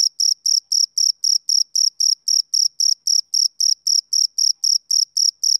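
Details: Rhythmic male cricket chirps from a summer evening, high and piercing, repeated roughly every quarter second in a tidy series of about twenty-one identical pulses, nothing else audible.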